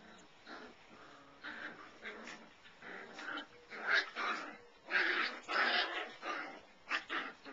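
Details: Five-week-old Labradoodle puppies from the Goldie/Seeker litter giving a run of short whimpers and yips, some rising and strained, rapid and irregular with brief pauses, layered over one another.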